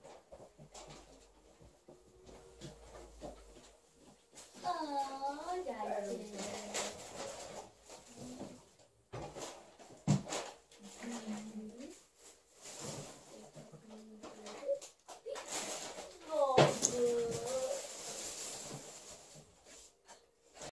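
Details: Alaskan Malamute with a new toy indoors, giving drawn-out, wavering woo-like vocal arcs that slide downward, in bursts around clicks, rustles and a person talking in a small room.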